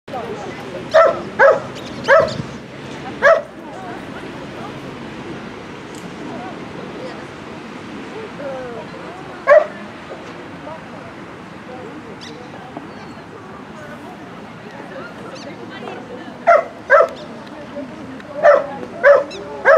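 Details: Bull Terrier barking at a rally obedience event, dated 02.09.17: short sharp barks in a quick cluster of four at the start, a lone bark midway, then another burst of several barks toward the end, over steady background murmur and voices.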